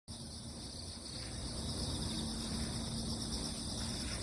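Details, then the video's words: Crickets calling on damp ground after a typhoon has passed: a steady, high, shimmering insect chorus holds two continuous bright bands throughout, over a dense low rumble of ambient noise. "귀뚜라미, 풀벌레소리"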